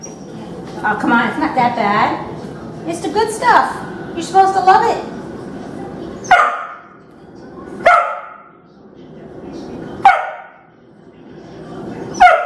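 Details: Rottweiler puppy, female, angry and protesting dry food after days of canned food, gives grumbling whines and then sharp isolated barks spaced one to two seconds apart indoors, with a person's voice early on.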